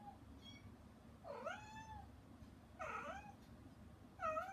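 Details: Mother cat named Hana, shut out behind frosted glass while her kittens eat weaning food, meowing toward them; three drawn-out harmonic meows about every one and a half seconds, rising then falling, over low indoor hum.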